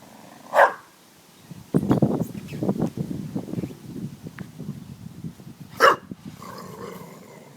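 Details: Dog barking at a water jug: two single sharp barks about five seconds apart, with scuffling and rustling between them.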